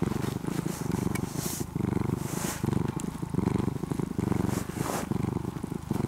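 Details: Purring of an orange-and-white cat that was once a stray kitten and is now nearly a house cat. Loud, rough low rumble in regular breath cycles, with soft rustling noises above it.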